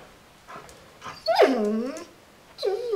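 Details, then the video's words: Border Collie indoors at Christmas, unhappy with its present: two faint short whimpers, then a loud drawn-out whine sliding downward in pitch, followed by a shorter, higher whine that dips and wavers. "Border Collie doesn't like its Christmas present"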